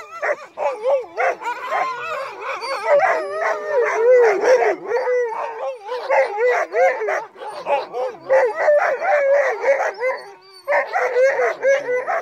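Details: Crossbred husky mixes pulling a sled on a night run in heavy snow; a chorus of several dogs gives wavering, overlapping howls and yips almost continuously, with brief dips in volume.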